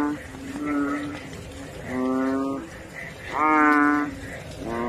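Banded bullfrogs give deep, moaning honks, each lasting under a second and repeated every second or two.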